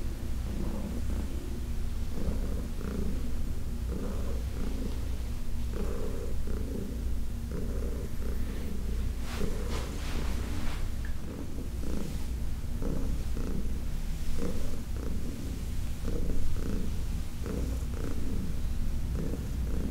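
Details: Purring from Heidi, a senior shelter-adopted cat from the Humane Society of New York City, while being massaged indoors on August 4, 2021; a continuous deep rumble swelling in breathy bursts about every second, with light handling noises.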